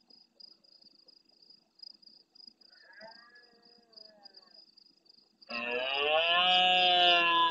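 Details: Large red deer stag roaring intensely at nightfall near a camera in the Doñana National Park marsh at El Rocío, Almonte, Huelva, Andalusia, Spain, answering farther stags; faint distant calls, then one loud, deep, harmonic roar held to the end, over a steady insect trill.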